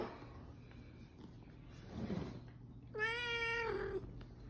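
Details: Pet serval kept in a family home gives a single drawn-out, harmonic meow-like call lasting about one second, steady then gently falling at the end, after a quiet stretch with faint rustling and low hum.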